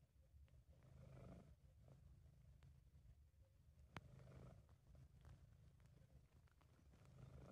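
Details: British Shorthair cat Sabu purring in a happy, relaxed state, amateur recording: softer low rumble in slow breath-paced waves, a few faint clicks and one sharp tick midway.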